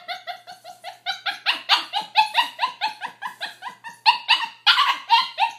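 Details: A pet puppy, a young female, makes a monkey-ish bark-whine in a steady stream of short, rising-falling harmonic yelps, a little over two per second. They grow louder and harsher midway, indoors, with no other sounds.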